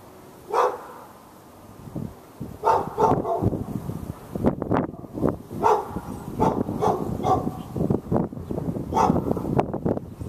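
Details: Fenced dog in Raleigh, North Carolina, on 15 February 2012, barking continuously at the dog next door and other dogs within earshot; a steady run of barks roughly every half second, over dense low rumbling background noise.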